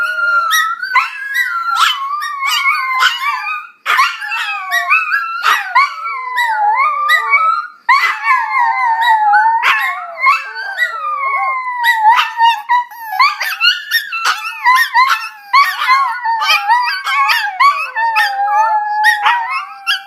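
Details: A Chihuahua howls almost without pause: wavering, sliding notes rise and fall in pitch, broken by short yips and sharp bark-like onsets, loud and continuous throughout.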